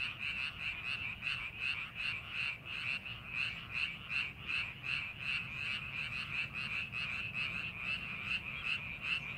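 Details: A rice paddy readied for farming, full of calling frogs: many overlapping croaks form a steady, rhythmic chorus, pulses repeating quickly and evenly throughout.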